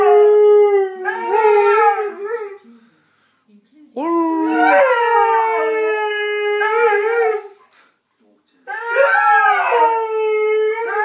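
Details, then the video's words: Pet Saluki Steve howling a doggy tune in three long bouts separated by short silences, each starting with a rising wavering note then holding a steady, harmonic-rich tone. "Singing saluki"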